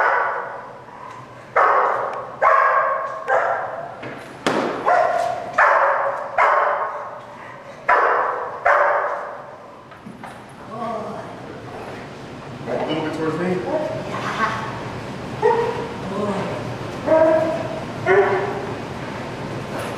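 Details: Malachai, a German Shepherd Dog in Schutzhund protection work, Feb 28th 2010, barks in loud bursts about once a second, then shifts to shorter, broken, whining-edged barks in the second half.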